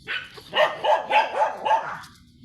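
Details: Five steady, ringing barks from Sanji, a blue-line Shih Tzu, in a row about a third of a second apart, recorded at a sidewalk in San Carlos City, Pangasinan.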